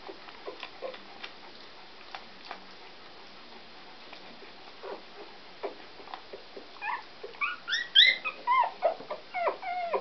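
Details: Newborn Scottish Terrier puppies born 13 November; quiet rustling at first, then a run of high, squeaky rising-falling whimpers and yips grows louder toward the end.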